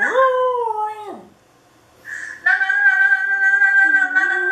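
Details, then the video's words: Dog howling at a webcam: a steady howl that drops off at its end, a brief quiet gap, then a long, even, high-pitched howl that dips lower near the finish. "Dog howling to webcam"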